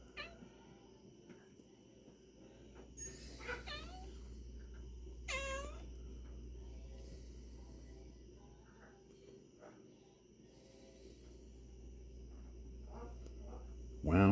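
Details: Frisky kitten meowing: two clear wavering meows near the middle, a few fainter ones after, over a steady low hum, with a sharp loud noise right at the end.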